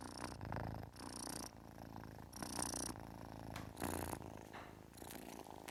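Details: Kitten purr that swells and eases with each breath, a low rattling rumble broken by airy, hissing bursts about every second.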